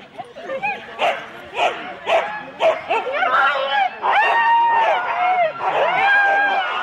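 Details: Husky sled dogs in four-dog teams at a Rendlesham start, January 2016: loud spaced barks about once a second, then drawn-out rising and falling yelps, with human voices mixed in.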